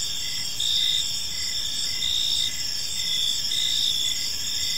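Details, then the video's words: Evening park crickets: continuous high-pitched shimmering chirps, louder pulses recurring about every second and a half, steady low ambient hum beneath. "Park Serenade: Cricket Sounds in a Peaceful Park | Evening Ambience"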